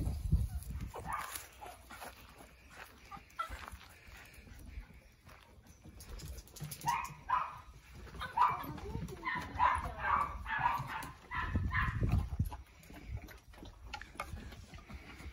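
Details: Cavalier King Charles Spaniel Yoichi, a tricolour male born 2019 in Kurume, Fukuoka, playing with the female Cavalier Sara and making cat-like cries at the peak of excitement: a run of short harmonic mewing yowls midway, with indoor noise and bumps.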